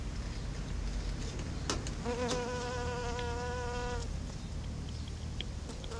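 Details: Patchwork leafcutter bee, a female gathering pollen, makes an even, tonal buzz of roughly two seconds before falling silent, with a faint return near the end and a continuous low background hum.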